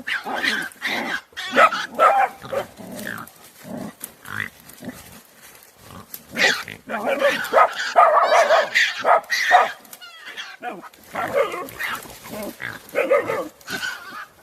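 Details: Several dogs ganging up on a badger, recorded 24 January 2021: a chaotic, dense stretch of overlapping barks, yelps and harsh growling noises, rising and falling in bursts throughout, with a possible human voice mixed in.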